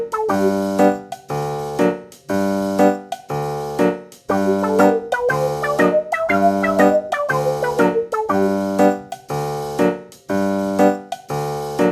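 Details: Bouncy electric piano music repeats short rhythmic chords roughly every second, with a brief melodic run in the middle and no animal sounds.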